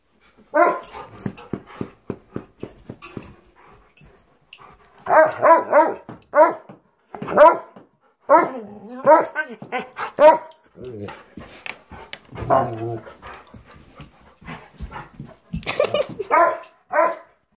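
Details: Labrador and German Shepherd at home on a Sunday morning barking in loud bursts, clusters of sharp barks mixed with grumbling and yelps, rapid and irregular, filling the quiet indoor room.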